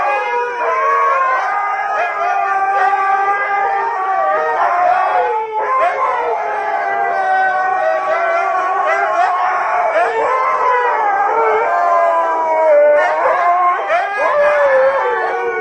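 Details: Several huskies howl together in response to people singing close by, a dense, sustained chorus of overlapping mid-pitched wavering howls that bend up and down without pause.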